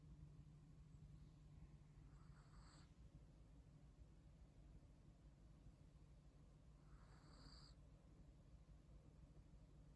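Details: Sleeping Chihuahua, snoring softly while deeply comfortable: two faint breathy snores roughly five seconds apart, each with a high nasal whistle, against a constant low background hum.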